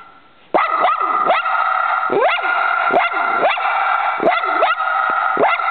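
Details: After a half-second of quiet, a dog bursts into steady, shrill barking at a squirrel outside, with repeated sharp yelps and rising-falling barks roughly every half second.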